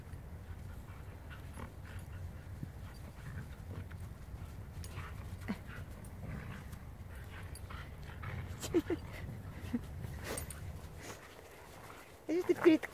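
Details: Siberian Huskies at play, two males including Volt and Rick with a female named Delya; steady dog panting with brief whimpers, scuffling and rustling throughout, a few sharp louder knocks near the end.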